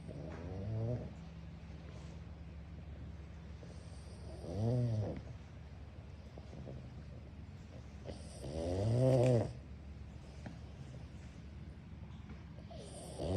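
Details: Pug snoring in an office: deep, rumbling snores with a rough, buzzing texture swell up about every four seconds, with quiet pauses between breaths and a steady low hum underneath.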